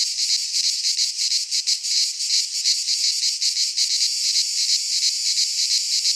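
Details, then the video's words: Midsummer chorus of cicadas in a pine forest in Greece, a shrill sizzling drone throbbing in fast, fairly regular pulses about three per second, unbroken throughout. "Cicadas singing in midsummer - Nature sounds from the Greek fauna - Sounds of cicadas"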